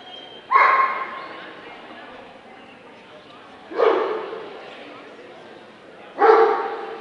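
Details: Three separate sharp barks, spaced roughly three seconds apart, from a Dobermann at the 2012 Scottish Dobermann Club championship show in the Limit Dog class, with quiet hall ambience between them.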